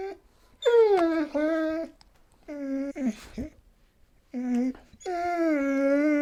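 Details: Siberian Husky producing several mournful harmonic howls that slide downward then level off, with short gaps and a brief rough yelp between them.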